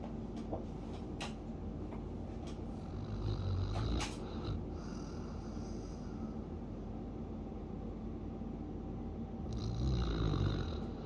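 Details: A sleeping Siberian Husky snores with a low, rough rumble in a steady rhythm.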